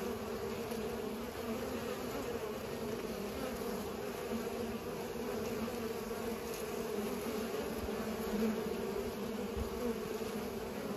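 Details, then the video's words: Pollinating bees in a continuous collective hum, a warm layered drone that stays level, with faint brief rustles now and then. "Bees are pollinating"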